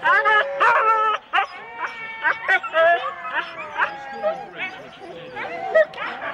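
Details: Husky sled teams of four dogs waiting at the start in Rendlesham, January 2016, give a dense chorus of overlapping yips, whines and short barks, with bursts fading after the first second into quieter mixed calling.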